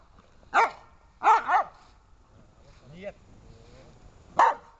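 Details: Dobermann in protection training giving a few loud, rough barks, one double bark, spaced over several seconds, with a brief lower voice-like sound in between.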